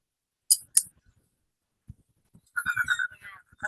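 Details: A toad's short, buzzy pulsed trill, a noise-reduced recording analysed in a student animal physiology practicum, with a person talking quietly nearby.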